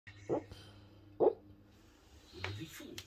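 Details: A female Basset Hound dreaming in her sleep gives two muffled, low woofs, followed by a person talking.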